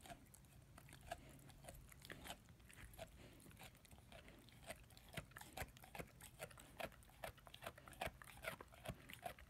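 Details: A German Shepherd/Labrador puppy, aged 10 months, works at his first bone. Uneven crisp bites and grinding crunches come in clustered bursts, thickening toward the end, over faint background rumble.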